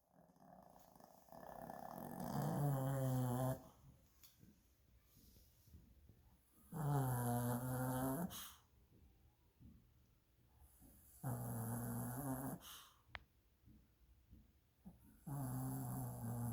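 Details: A 9-year-old male Lhasa Apso, who rarely snores, snores in long, low, rumbling breaths, each lasting a second or two.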